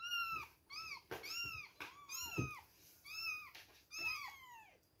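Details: Two-week-old baby kittens at milk time, mewing over and over: arched, high, harmonic-rich cries rising then falling, several overlapping and coming roughly every half second, with small rustles between them.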